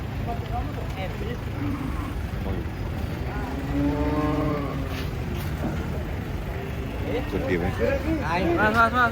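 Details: Cattle being unloaded from a truck: a long, drawn-out moo swells in the middle and holds steady before fading, with a shorter wavering low at the end, over a steady engine rumble and people talking.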